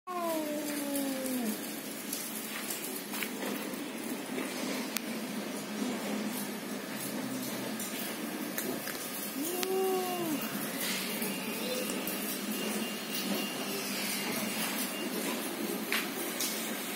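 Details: Male domestic cats (Felis catus) duelling over a marble-coloured female trade harmonic, wavering yowls that rise and fall as they square off, a fight call.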